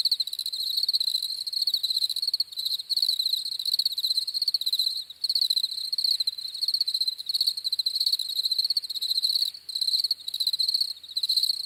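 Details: Many crickets chirp together in a shrill, fast-pulsed chorus that surges and fades in short waves, an unbroken high insect trill with no other animals or people audible.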